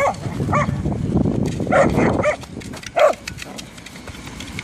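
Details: Two whippets, Jack and Ray, at play with a football: two clear, loud yapping barks about a second apart stand out above rustling and thudding movement.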